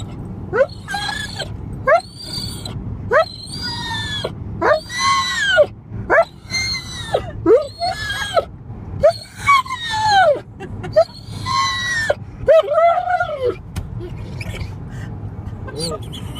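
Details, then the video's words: Excited pet dog whining and screeching in a car as it nears home: a fast run of high, wavering, arching whines and squeals, some strained and rising, with short pauses, continuing for about fourteen seconds before tapering off. "Dog Makes Hilarious Sounds When He Comes Home"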